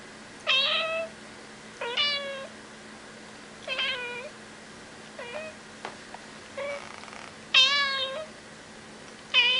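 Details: Domestic cat meowing in a series of about seven short, tonal meows spaced one to two seconds apart, some rising then dipping, others flat and drawn out, over a faint steady indoor hum.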